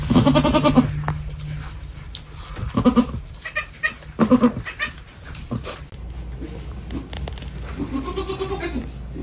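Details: Baby goats on a farm making sweet, funny sounds: short nasal, harmonic bleats heard at the start, again around three and four seconds, and near the end, over a low steady hum.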